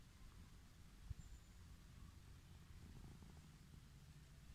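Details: Petted wild orange tabby on a lawn gives a soft, low, continuous purr with a slight pulsing rhythm; one brief click of handling near the start.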